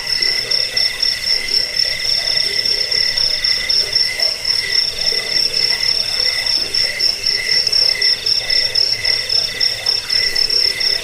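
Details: Steady wall of cricket chirping, high and metallic, with many callers overlapping in fast pulses and a quieter lower throb of calls, holding an even level for the whole stretch.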